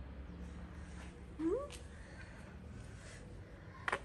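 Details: Tabby cat, a stray street cat in Morocco, gives one short sweet meow rising and then falling, with soft low room noise and a quiet click at the end.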